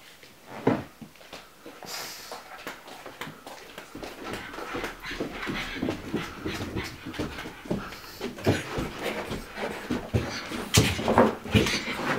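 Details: Pug dog indoors, frightened by a pillow, giving rapid, irregular panting huffs and snorts, with a few sharper breathy bursts rising near the end, in a small room.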